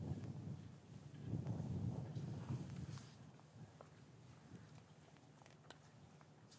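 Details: Cattle in an English farm yard on a winter's afternoon, calves recently separated from their mothers. A loud, low, drawn-out moo swells and fades over about a second and a half, followed by quiet rustling, knocks and a steady background hum.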